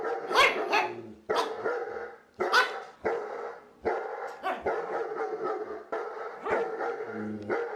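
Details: Dog barking in a steady series, single and doubled barks recurring about once a second over several seconds, loud and harsh with a ringing tonal edge.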